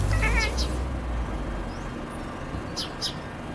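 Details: A black-and-white cat, Billy, calling at birds, gives a quick, warbling chirp near the start and a pair of thin, high chirps near the end, over a steady low rumble.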